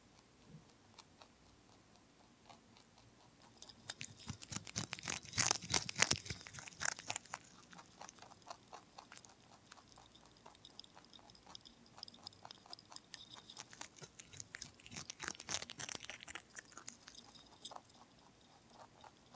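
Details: A lion head and Dutch mix rabbit eats broccoli in a quiet room, munching steadily with sharp, dry crunches several times a second in louder flurries, then softer, quicker nibbling.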